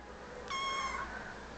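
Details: A young cat replies to its owner with one bright, harmonic-rich meow lasting about half a second, level then slightly falling, amid quiet room noise and the owner's soft Turkish speech before and after.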